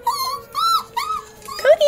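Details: Dogs howl in short, wavering, rising-and-falling tones at the 5 o'clock fire siren whistle, which they do every day.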